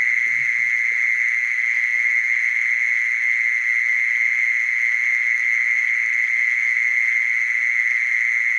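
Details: Mole cricket giving a steady, unbroken buzzing trill at one high pitch, with faint overtones above and no pauses throughout.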